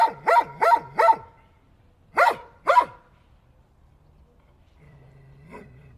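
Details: Dog gives three quick loud barks, pauses, adds two more sharp barks, then a soft, faint whine-like sound closes the recording over a low steady background hum.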